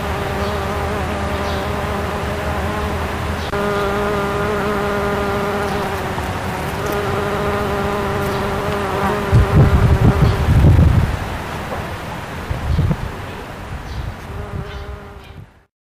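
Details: Bombus ignitus bumblebee visiting satsuki azalea flowers for nectar, May 2012; a droning hum that breaks off and resumes several times with small pitch changes, interrupted by low rumbling bursts, then fading out.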